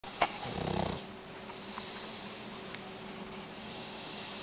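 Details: Shar Pei snoring: one rough, low rumbling snore with a pulsed, rattling texture lasting about a second, followed by quieter hissing breath and steady background hum.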